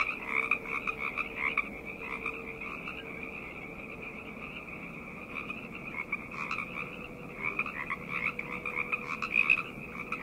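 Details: Night chorus of many frogs: dense overlapping croaks and trills massed in a bright high band, swelling and fading in bursts, with a steady low hum underneath.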